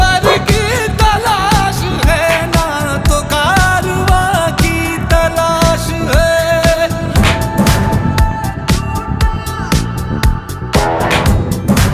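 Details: Loud Asian pop song with a singing voice, keyboards and driving percussion, and no goat calls audible.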